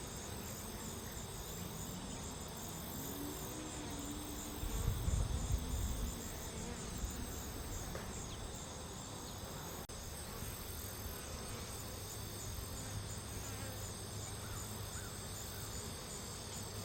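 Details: A large cluster of worker honey bees gathered on a branch around a caged mail-order Carniolan queen, held together by her pheromone; a steady, dense buzzing hum runs throughout, with a brief low thumping rumble near the middle.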